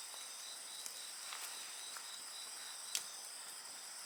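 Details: Insect voices hum in steady high-pitched bands while a nearby bonfire gives a few soft crackles and one louder sharp pop.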